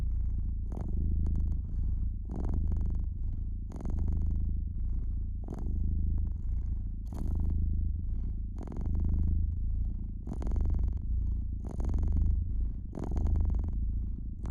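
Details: Domestic cat by the fireplace, purring in a deep continuous rumble that rises and falls in breath-length waves, roughly forty per minute, while the fire crackles and snaps in bright bursts throughout.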